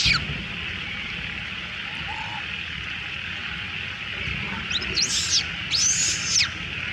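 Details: A little female monkey gives loud, high, arching distress screams while other monkeys steal her food, over a steady background hiss.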